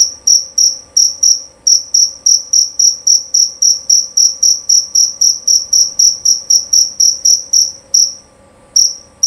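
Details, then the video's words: Male jerabang cricket giving loud, clear chirps: high, shrill pulses repeated about four times a second in a steady run, with a brief pause near the end and a faint low hum in the background. "Bunyi Suara Jangkrik Jerabang Nyaring dan Jernih"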